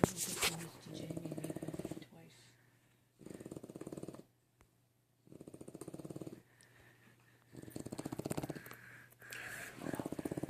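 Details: A sleeping French bulldog puppy snores in rattling, fluttery bursts that come every few seconds.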